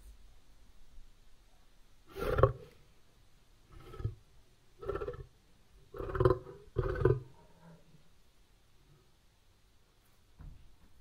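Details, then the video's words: A wild lion, recorded at 192 kHz, gives a series of deep, rough roaring grunts, each a short, throaty burst. "BOOM Library Lion Recording"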